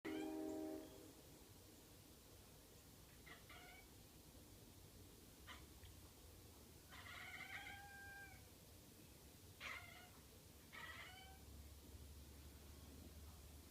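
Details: Izel, a pet cat, making weird noises at the window: a string of short, harmonic chirps sliding downward, some clustered in quick pairs, over a low steady indoor hum.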